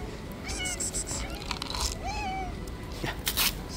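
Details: Stray cats fight over the angry white cat's territory outdoors; two clear meows, a short wavering one then a longer drawn, slightly falling cry, against background hiss and scattered clicks.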